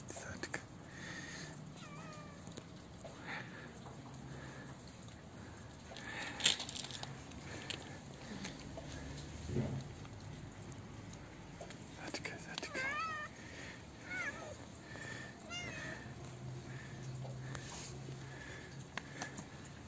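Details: Hungry stray cat, a mother with her kitten, fed outdoors after being afraid: several short, quiet, wavering meows spaced through the clip, with rustling, clicks and a faint hum behind.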